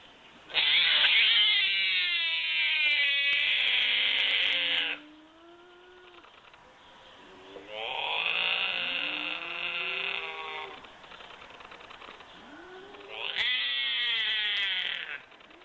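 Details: A binturong gives long, wavering, cat-like yowls in three drawn-out bouts with quiet gaps, a vocalization used to communicate. Binturong.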